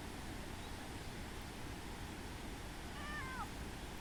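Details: Free-roaming cat at Minoo Park, Japan, recorded 18 June 2025, following a person to a bench and rubbing against legs; one short falling meow near the end over steady roaring background noise like rushing water.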